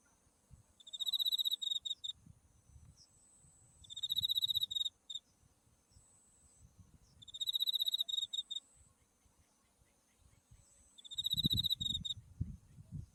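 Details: Autumn insects calling by a flowering buckwheat field with Mount Tsukuba in view, Japan: bursts of fast, high, pulsed chirping repeated roughly every three and a half seconds over a thin continuous high tone and light low background noise.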